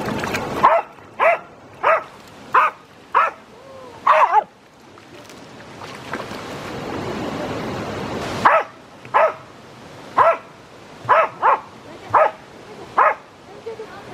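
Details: Swimming Jack Russell Terrier giving sharp, loud single barks at irregular intervals of roughly half a second to a second, about fourteen in all, broken mid-way by a few seconds of rushing, splashing water noise.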